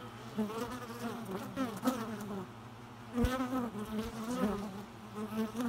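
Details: Bees buzzing, with a harmonic-rich drone near 200 and layered overtones that swells and fades as insects pass close, plus a few sharp clicks or taps.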